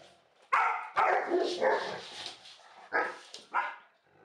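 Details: Dog barking, from a recording contrasting an Australian Shepherd with a Labrador: a few sharp, harsh barks spaced unevenly over four seconds, with quieter gaps between bursts.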